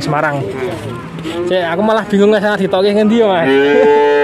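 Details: Male calves at a cattle market in Grabag, Magelang regency, Indonesia, with nineteen bought at once. Several overlapping moos of shifting pitch follow one another without pause, ending in one long, steady bawl.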